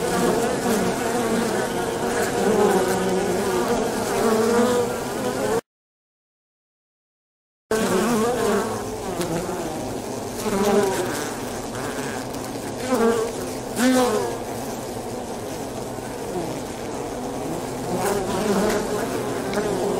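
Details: Many Polybia occidentalis wasps, known as avispa angolita, make a rich, ongoing hum broken by a short silent gap, with individual flight tones sliding up and down over the crowded buzz.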